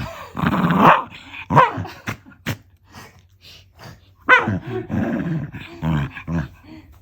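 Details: Female Shiba Inu, eleven years old, play-growling while wrestling with a man's feet in a small room, not in anger; a rough snarl opens, followed by scattered short growls, clicks and a woman's voice mixed in.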